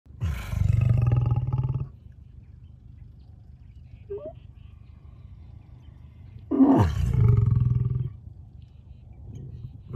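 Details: A lion (Panthera leo) gives two deep, rumbling roars, each starting with a rising moan and lasting about a second.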